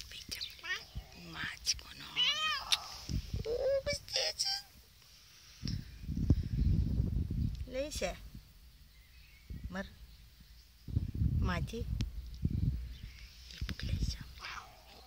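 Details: Male Russian Blue cat, grumpy and annoyed, on antibiotics and possibly in pain, indoors. He gives several wavering, rising-and-falling meows spaced a few seconds apart, mixed with affectionate human speech and low handling noise.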